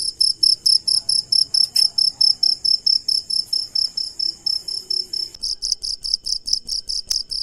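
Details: At night, a cricket chirps steadily, bright high pulses repeating about twice a second.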